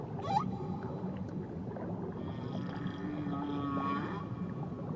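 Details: Whale calls from Tahiti waters: a short rising squeal opens, followed by a long steady low moan with faint wavering higher tones layered above, all set against a constant rumbling underwater background.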